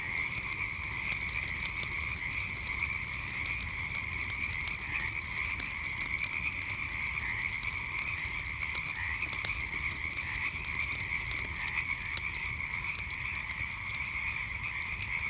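A dense night chorus of frogs forms a steady, high trilling drone over the crackle of a campfire.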